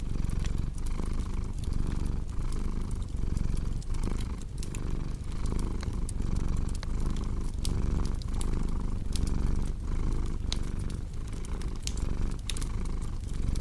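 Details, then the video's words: Domestic cat purring, paired with a cozy crackling fireplace for relaxation and sleep: a steady low rumble that swells and fades with each breath, about every second, with sharp wood-fire crackles and pops scattered over it. "Purring Cat with Cozy Crackling Fireplace Sound"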